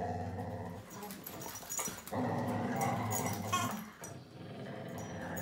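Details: Whippet growling while fighting a duck: a continuous deep, throaty rumble running through the whole stretch, with scattered higher yelps and scuffling noise layered over it.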